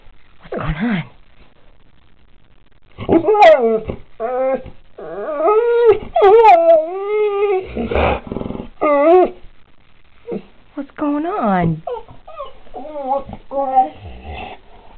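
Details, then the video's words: Pit bull vocalizing indoors after seeing a dog outside, a long run of whining, yodel-like howls and yips with wavering, rising and falling tones, several bursts over about ten seconds. "talks about seeing a dog outside"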